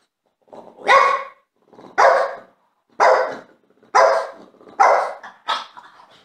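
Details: Jealous French Bulldog seeking attention, barking six times at about one bark per second, each bark sharp with a short trailing rumble, in a quiet indoor room.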